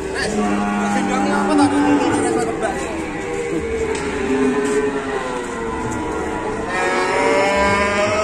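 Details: Market banteng cattle at Pasar Pon Ambarawa, Indonesia, after unloading from a truck: a steady, low moo early on, then further bellowing tones, with constant crowd chatter and market noise behind.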